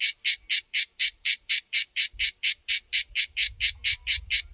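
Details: {'caption': 'Cicada found on a backyard tree, its colour matching the bark; sharp buzzy pulses repeat a little over three per second, with soft low rumbling joining in the second half.'}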